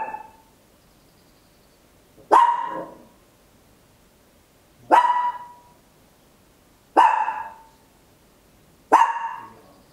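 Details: Small Papillon dog barking loudly indoors at home, captured in stereo on an Olympus LS-11: five sharp, high single barks spaced about two seconds apart, each ringing briefly before a quiet pause.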